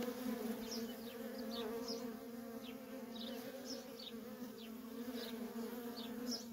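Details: Dense, even buzzing of worker honey bees streaming in and out of a feral colony, a rich droning hum with strong overtones, accompanied by repeated short, downward-slurred high chirps of birds nearby.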